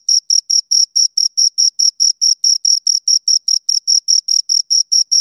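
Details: Two crickets stridulating nearby: crisp, high, rhythmic chirps in a regular series of separate pulses, clean and loud, with no background noise.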